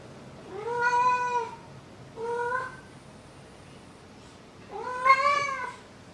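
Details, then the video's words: Pet cat calling out to its owner inside a home: three meows, the first and last long and arched, a shorter one between, separated by quiet pauses. "Maru hails me"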